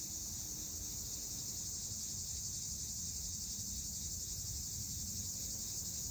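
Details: Cicadas sing in summer with a steady, high-pitched buzzing drone that runs without a break.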